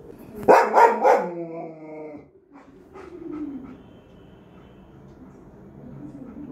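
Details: A German Shepherd dog stands and barks at nothing visible: two loud, harmonic barks close together near the start, then a quieter, drawn-out tone fading away, with a person speaking softly afterward.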